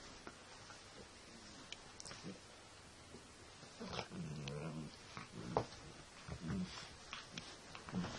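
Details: Shelly, a Sussex Spaniel puppy, in hyper mode just after eating her dinner, gives short low throaty growly bursts around the middle and later, between thumps and scuffling of play indoors.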